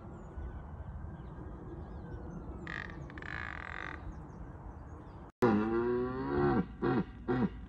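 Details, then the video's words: Rutting red deer stag in Bushy Park roaring to deter rival stags; faint background hum, then a sudden loud, deep, falling bellow followed by two shorter grunting roars. "Roaring Wild Red Stags Compilation"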